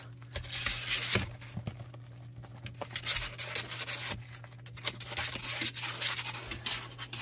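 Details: Scratching, rubbing and crinkling noises in a small indoor room over a steady low electrical hum, with no animal voice.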